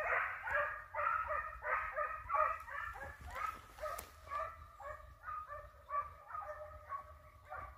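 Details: Hounds on a hare hunt in Italy, a long stretch of quick tonal barks and yelps from several dogs, loud at first and then fading slightly, with a single sharp knock heard midway.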